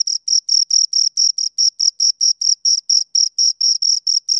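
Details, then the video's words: A pair of crickets singing nearby: bright, high ringing chirps repeated regularly about four times per second, each burst a short scraping trill, background otherwise quiet. "Two Crickets Chirp Sounds for Two Hours Right on Your Ears"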